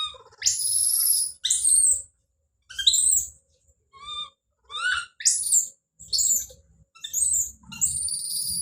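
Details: Don, a baby monkey, calling out with loud, harsh, very high screams broken by brief rising squeals and short cries, the outbursts coming in quick succession with only short pauses.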